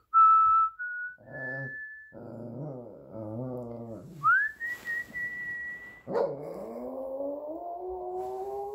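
A Shih Tzu howls in drawn-out, wavering notes, joining in with a person's clear whistling.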